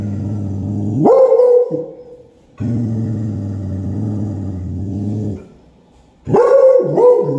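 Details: Beagle barking at a black cat: long, low rumbling growls lasting a few seconds each, broken by two loud, sharply rising barks that trail into a drawn-out yelp.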